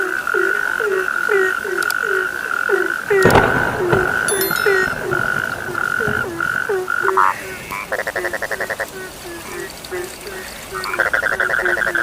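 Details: Night frog chorus with quick repeated croaks, about two a second, broken by a loud knock, then bursts of rapid pulsed trilling over a continuous high buzz.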